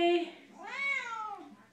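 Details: Female Siamese cat joining her owner's Les Mis singing at home: a brief sung human note, then a long arched meow that climbs and gently falls over nearly a second.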